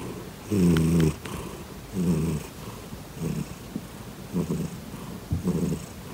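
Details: Grizzly, a pet cat, purring loudly while kicking, likened to a tiger: low, rumbling purr bursts roughly every second and a half, each swelling then fading, with quiet pauses between breaths indoors.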